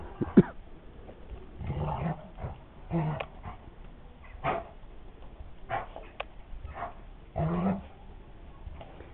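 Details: Dogo Argentino at play, giving short gruff barks and growls in scattered bursts every second or two, while a person talks nearby.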